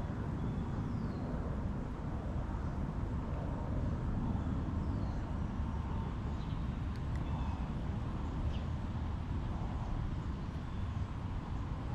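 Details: Steady low rumble of traffic and outdoor background noise, with a few faint high chirps but no clear animal call.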